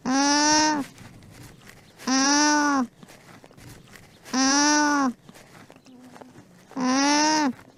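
An alpaca hums in steady, nasal tones, each under a second long and repeated about every two seconds.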